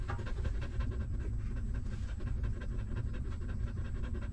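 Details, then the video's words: Newborn puppies feeding from their stray mother, a busy stream of soft smacking and clicking suckles layered over a constant deep background rumble. "Hungry Puppies Sucking Milk"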